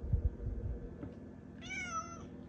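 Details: Pet cat Malia wakes early to meow at its owner: soft thumps and rustling, then one drawn-out meow near the end, slightly falling in pitch, with a low background hum.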